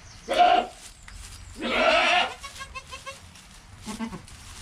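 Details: Newborn goat kid Joel, within an hour of birth beside his calm mother Penny, recorded on a GoPro: two strong wavering bleats close together, then a short faint bleat near the end.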